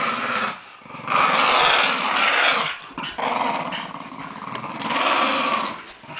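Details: During a tug-of-war game, Lakeland Terriers in New Zealand growl in long gravelly surges separated by short breaths, with occasional clicks and knocks from the play.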